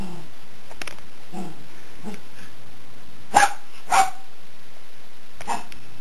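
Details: Jack Russell Terrier playing with a cat indoors: a few short, sharp barks and yaps, two louder ones close together near the middle, with softer grunting sounds between and a low steady background hum.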